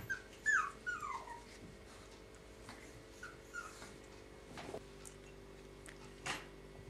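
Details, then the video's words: Yorkshire Terrier puppies at play with their mother, giving a run of high, sliding squeals that fall in pitch early on, then sparser faint whimpers and a couple of sharp knocks or scuffles. "Baby Yorkie pups playing"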